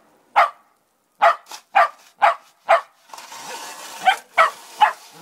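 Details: Male Shetland Sheepdog gets mad when a snow shovel bumps him, giving five quick sharp barks in a row, then three more over a broad rasping scrape of the shovel on snow.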